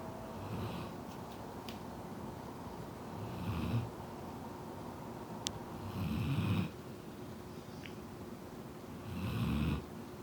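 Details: Golden Retriever puppy Rei, asleep and snoring very loudly; deep, rumbling snores about every three seconds, each lasting close to a second, with a couple of faint clicks between breaths.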